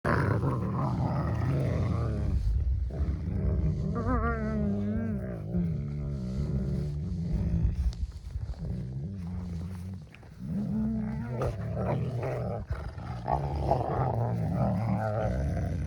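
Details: Two wolfdog puppies, not pure wolves, wrestling and jaw sparring in play to hone coordination and burn off energy. They growl and snarl continuously: a deep, rumbling, throaty sound with rapid, uneven pulses and occasional higher warbling whines.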